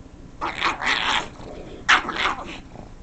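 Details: A female pug that dislikes the sound of the couch being scratched gives loud, rough, strained grumbling barks in two harsh bursts about a second apart, noisy and broadband.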